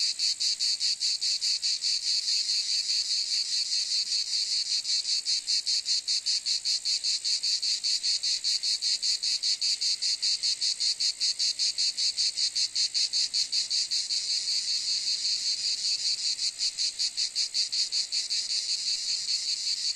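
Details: Sustained cicada chorus-like buzz, a piercing high rasp with rapid, even pulsation, unbroken and constant in volume for twenty seconds.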